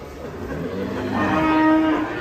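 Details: Angry cow with her calf gives one long, steady, tonal moo that swells and then fades, over a noisy background.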